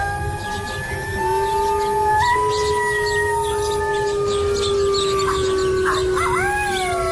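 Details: Several gray wolves (Canis lupus) chorus-howl in long, steady, overlapping tones, one voice rising and wavering near the end; the howls locate pack mates, guard territory, and can confuse hunters about how many wolves there are.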